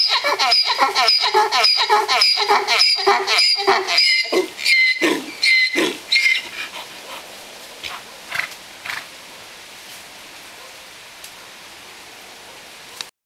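A donkey brays in rapid, rhythmic wheezing pulses that sound like a squeaky hand pump.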